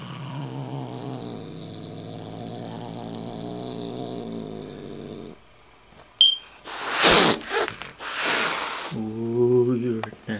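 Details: Kitten growling back at an older boss cat: a long steady low rumbling growl with layered harmonics for about five seconds, a pause, bursts of loud hissing spits, then another harmonic growl.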